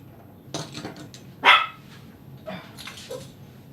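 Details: A Shih Tzu puppy at a grooming salon gives a sharp, high yappy bark, with a few softer yips around it.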